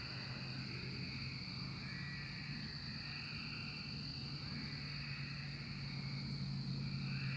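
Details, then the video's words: Massed cicadas of the 2024 emergence keep up a relentless high-pitched drone; a lower buzzing layer rises and falls in slow swells while a deep hum runs beneath. "Cicada Emergence 2024"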